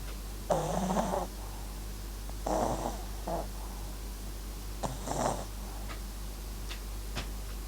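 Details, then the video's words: Papillon-Japanese Chin mix named MAX snoring while asleep: three rasping, breathy snores near the start, middle and end, each under a second and spaced about two and a half seconds apart, over a low steady indoor hum. "パピヨン 狆 MAXくん！いびきも可愛いね～！"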